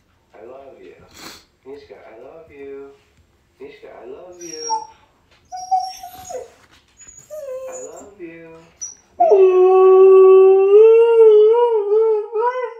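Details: Pet huskies at home, one female howling with excitement at her favorite online clip and another joining in: broken whimpery yips and short wavering cries, then a loud sustained howl sliding and wobbling in pitch for the last few seconds.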